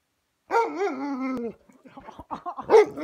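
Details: Alaskan Malamute asking for dinner, giving a sustained wavering howl of about a second with rich harmonics, then a string of short broken grumbles and yips rising to a louder final yelp.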